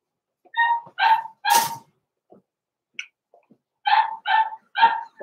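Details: Blenheim Cavalier King Charles Spaniel puppies born November 14, 2022, kept indoors in a home puppy pen at Christmas. Sharp, high yapping barks: two, a louder harsh one, a quiet gap, then three more in quick succession.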